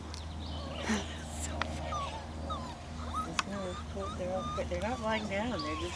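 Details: Several 4-week-old Weimaraner puppies, one especially vocal, give thin, high, wavering whines in short overlapping bursts around bedtime, with people talking quietly nearby and a low steady hum underneath.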